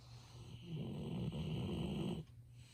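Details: Ibuki, a Golden Retriever, snores in deep sleep: a single rasping inhaled snore of about one and a half seconds that stops sharply, with a faint constant hum behind it, smartphone recording.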